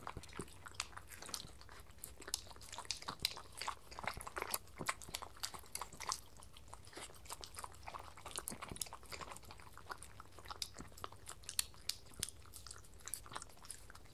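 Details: Two pet dogs, a Sheltie and a Miniature Schnauzer, at breakfast on lickimats in a small room; sharp crunchy bites and chewing clicks repeat rapidly over a low soft background.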